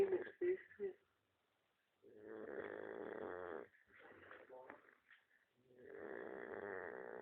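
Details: Domestic dog snoring indoors: two long, rasping, droning breaths of about one and a half seconds each, separated by quieter stretches, with short sharp sounds at the start.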